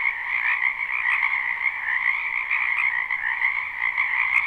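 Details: Croaking frogs in a spring wetland behind a home: a brief stretch of dense, steady trilling chorus, many animals overlapping in a buzzing, pulsed drone ending with a tiny click.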